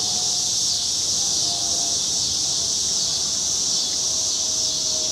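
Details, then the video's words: Summer cicadas along a Chicago street on a cloudy August evening in 2010: a steady, unbroken high-pitched hiss that swells slightly and fades, with a faint low tonal hum underneath. "Chicago Summer 2010 Cicadas - Evening"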